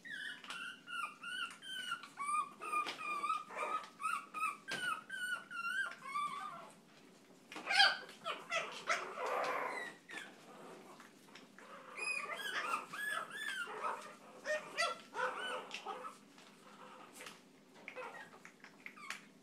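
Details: Chihuahua in an outburst of rapid high-pitched yapping barks and whines, bursts repeated several times a second, pausing briefly midway before resuming with sharp yips and harsh, noisy barks.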